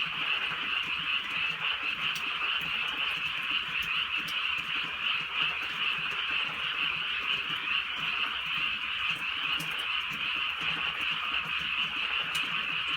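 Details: A rainy rural night filled with an unbroken chorus of croaking frogs. The dense pulsed calls hold steady throughout, with scattered light raindrop taps.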